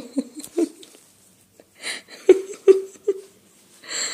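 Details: Staffordshire Bull Terrier Lola, 14 months old, refusing to go to bed indoors, makes soft grunts, then three short nasal whining yelps about every 0.4 seconds, with breathing and a woman's coaxing voice nearby.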